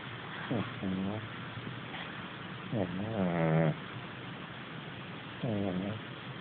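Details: Sleeping on his cotton duvet, Dusty, a rescued Hackney street cat, gives three nasal, buzzing snores: a short one, a longer wavering one in the middle, then another short snore after a quiet pause.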